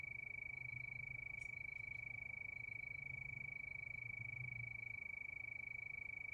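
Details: Crickets calling at night under the moon keep up an even, high-pitched pulsing trill, with a few brief sharp clicks early on and a low murmur in the background.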